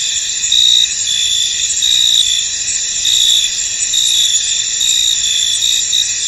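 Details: Foggy field crickets form an unbroken shrill wall of sound, stronger ringing trills swelling at irregular intervals of about a second within the constant high buzz.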